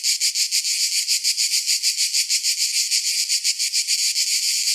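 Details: Shrill pulsing drone of cicadas in summer, rhythmic throbs about five per second, slightly uneven, with nothing else heard.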